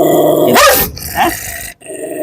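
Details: An 8 to 9 year old biting dog on a leash growls continuously, lets out one sharp bark, then returns to a quieter rumbling growl.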